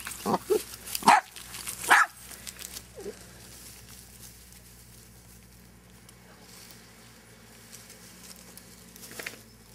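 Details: Dachshunds at a breeder in Marble Falls, Texas, giving a quick cluster of sharp, high barks and yips in the first two seconds, one more faint yap near three seconds, then a quiet room with a steady low hum.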